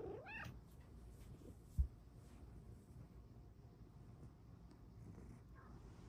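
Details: Luxe, a female Bengal cat kept indoors, gives one short rising meow at the very start. A faint low room hum and soft, quiet background fill the rest.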